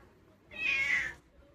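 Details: Short, clear meow of well under a second from the house cat Chomchom, bright and high with a slight downward slide, set against near silence.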